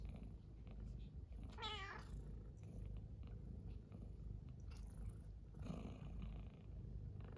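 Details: Pet cat purring indoors on a cold-wave morning beside an oil heater, where two cats slept hugging each other; low steady rumbling purr with one short rising meow near two seconds, another faint vocal sound later.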